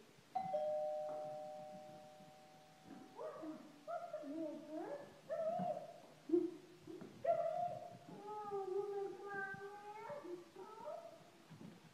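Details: A doorbell chimes, then a Shih Tzu gets excited as its owner arrives home, giving tonal whines and yodel-like yowls that slide up and down in uneven bursts, with a person talking in the background.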